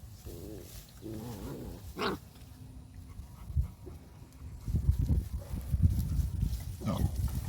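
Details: A male dog, running, gives short whimpering whines with stacked harmonics in the first two seconds and a sharp yelp, followed by low rumbling, movement and ground noise.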